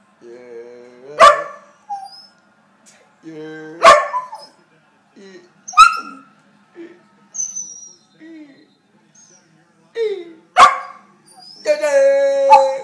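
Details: A Pembroke Welsh Corgi that dislikes being called "Jerk" gives short, wavering howls between bursts of a person's speech.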